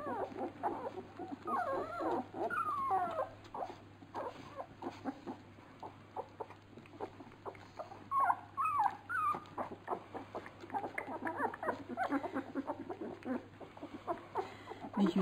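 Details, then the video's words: Labrador Retriever puppies at feeding, the so-called piranha litter, with scattered squeaks and whines amid shuffling and lapping noises, bursts of squealing around the middle, over a low steady hum. "Fütterung bei den Labrador Piranha Welpen"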